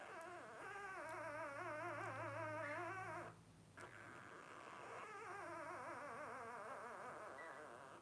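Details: Newborn Blenheim Cavalier King Charles Spaniel puppies, 12 days old, one of a litter of five: a continuous warbling, wavering whine lasting about three seconds, a brief pause, then more overlapping quavering cries.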